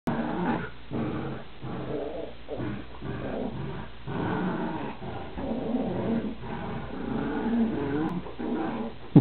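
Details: Two dogs playing tug of war indoors; a continuous low, rumbling growl pulses unevenly throughout, rising and falling in short surges with no pauses.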